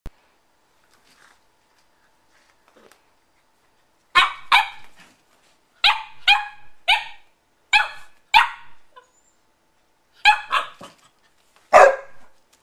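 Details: Eleven-week-old puppy named Liza, filmed on December 24th 2013 while playing with a nine-year-old girl, gives a series of sharp high yapping barks, singly and in quick pairs, after a quiet opening.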